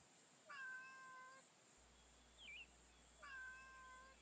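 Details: Female street cat met on a daytime stroll gives two drawn-out, level meows about three seconds apart, with a brief high chirping squeak between them; faint steady hiss in the background.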